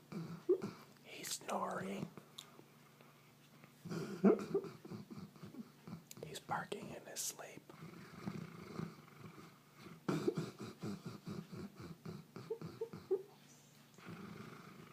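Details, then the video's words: Howie, a Goldendoodle, asleep indoors, giving low rumbling snores broken by short muffled woofs as he barks in his sleep, with soft whispered human speech over parts of it. "Golden doodle snoring and barking in sleep"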